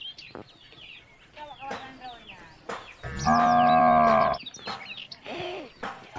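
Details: Cows calling the herd home to the barn along country roads: a single sustained, level moo lasting over a second, set among scattered bird chirps and light background noise.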